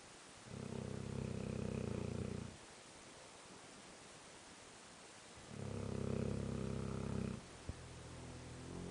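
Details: Sleeping Tosa dog snoring loudly: two long, rasping, low harmonic snores of about two seconds each, roughly five seconds apart. It did not snore when small, and other dogs sleep soundly nearby.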